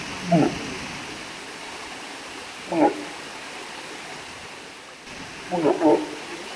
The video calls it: Walrus funny Noises